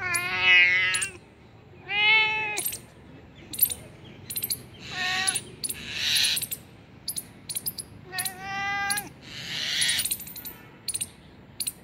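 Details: A cat found two kilometers from home meows repeatedly, about five drawn-out, harmonic, slightly wavering meows across twelve seconds, with sharp high clicking ticks between the calls.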